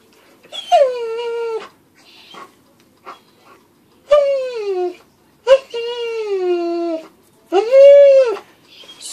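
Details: A jealous house dog whines in a small room as its owners play with a squirrel. There are three long, clear whines, each wavering then falling or arching in pitch, with brief soft whimpers between them.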